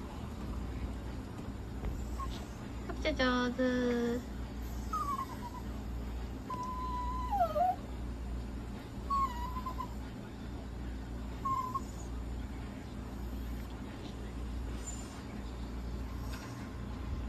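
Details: Papillon dog at an animal clinic during inhalation and oxygen therapy; short, thin whines that rise and fall, scattered through the clip, with one lower, harsher cry early on, over a steady background hum and a few people's voices.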